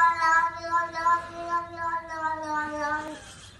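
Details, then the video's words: Domestic cat giving a single long, drawn-out meow lasting about three seconds, steady in pitch with a rich harmonic tone that fades slightly at the end. "Cat Meowing Sound Video Collection-Cute Cat Meowing Sound"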